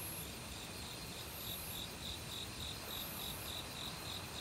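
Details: Chirps from an autumn cricket in the forest, with other insects around and a mountain stream rushing below; the crisp, high pulses start after a short pause and repeat steadily, roughly three each second.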